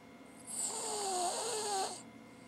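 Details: A female Cavalier King Charles Spaniel snores with her tongue hanging out, giving a long, raspy, wavering breath.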